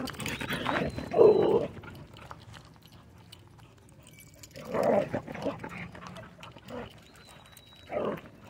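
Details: Pit bull mix with rare colors visiting a dog park, giving three loud, rough midrange bursts, barks or grunts, near the start, middle and end, with quiet gaps and faint high whistled chirps in the background.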